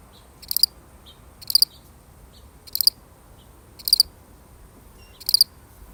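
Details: One solitary cricket chirping, genuine recording; bright high pulsed chirps, each a quick double or triple burst, spaced about one to one and a half seconds apart in near silence.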